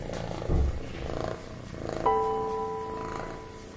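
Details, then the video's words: Snowshoe cat, a Siamese and American Shorthair cross, purring while being played with: a soft low rumbling pulse, then steady sustained music tones joining from midway. "Kit Kat the Snowshoe | Purring"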